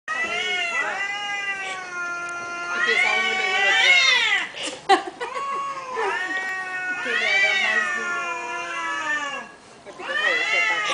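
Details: Domestic cats in Thailand communicating with each other in a room, trading long drawn-out meows that rise and fall in pitch, several overlapping calls in bursts with short pauses between.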